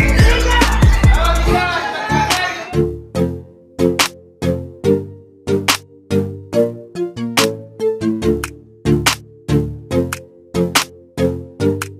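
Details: A steady electronic beat with deep bass hits and layered synth chords, preceded by a brief burst of mixed noise; no animal voice stands out.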